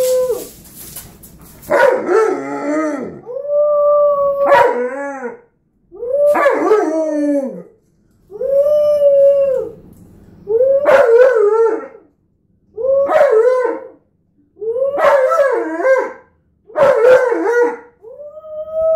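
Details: Tonka the Alaskan Malamute and his four-year-old nephew howl together indoors: a series of about nine bending, yodel-like howls about two seconds apart, some rising and some falling, with rougher overlapping voices in between.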